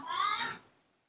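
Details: Newborn baby monkey, hand-raised and hard to bottle-feed, giving a brief high squealing cry with stacked harmonics that lasts about half a second and then fades away in a quiet indoor room.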